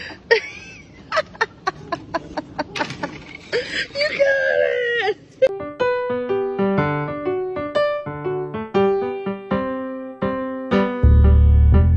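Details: Human speech with short bursts of voice gives way to a piano melody of sustained notes that carries to the end.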